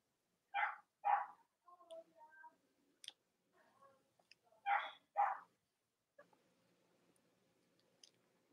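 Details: Indoor Cavalier King Charles Spaniel puppies, the litters of Robin and Myra, on a chilly autumn Monday morning near Halloween in the US. Two pairs of short, shrill yaps sound about four seconds apart, with soft whimpery murmurs and light knocks between them.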